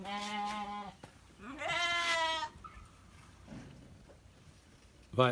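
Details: Santa Inês sheep, an elite breed animal, giving two quavering bleats in quick succession, then quiet, with a person nearby calling out brief instructions.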